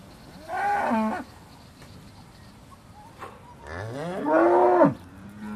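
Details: Two moos from Aussie Red dairy cows at Beaulands, December 2012, just before milking: a short nasal call, then after a pause a longer, louder one that rises in pitch and falls away at the end.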